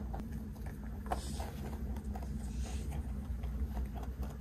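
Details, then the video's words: Close-up eating sounds of a big 3.2 kg rabbit taking snacks from a hand: soft, irregular crunches and ticks, a louder bite near the middle, with a constant low rumble underneath. "까까 받아먹는 3.2kg 왕토끼 ASMR"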